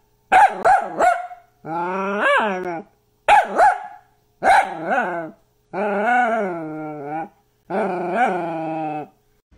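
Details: Mini dachshund alternating quick bursts of two or three clipped barks with long, quavering howls, each about a second long and sliding up and down in pitch. Six separate outbursts, clean and close, with silent gaps between them.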